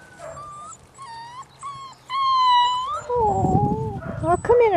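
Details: Litter of puppies giving short, high whimpers that rise and fall, several in quick succession, then a longer sliding whine, with a person's voice talking over the final seconds.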